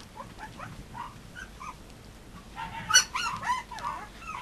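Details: Young Mame Shiba puppies, a red pup near 29 days and a black pup near 23 days old, with faint squeaks early, then a louder cluster of whiny yelps and whimpers toward the end.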